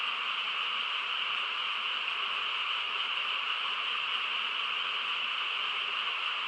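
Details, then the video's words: Countryside frog chorus at night, quiet surroundings; many voices merge into a continuous shimmering drone, high-pitched band over a softer middle one, never pausing. "고요한 시골 밤에 개구리 합창 소리"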